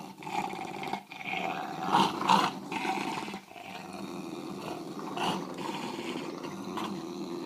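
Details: A pair of English bulldogs in a low-light tug o war over a toy, producing rasping, throaty growls that rise and fall in uneven pulses, with sharper peaks around the middle.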